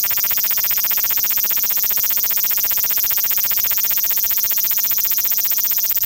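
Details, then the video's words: Male large brown cicada (Graptopsaltria nigrofuscata), Osaka City, Japan, 5 August 2019, Xperia XZ1 phone; a close, steady, intense high sizzle with a fast even pulsing texture throughout and little background noise. "油蝉 large brown cicada"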